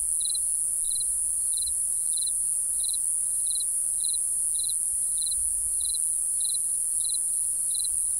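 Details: Crickets at night: short high pulsed chirps, each a quick double-trill, repeated about every 0.6 seconds, around thirteen in all, over a constant shrill high-pitched hiss from the insect chorus.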